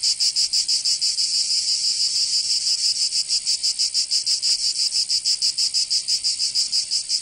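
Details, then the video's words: Cicadas singing in summer in Provence, southern France: a dense, hissing buzz pulsing steadily about three times per second, with no other sounds. "Canto Cigarra 🦗 [ Escuchar les cigarras en verano 10 H]"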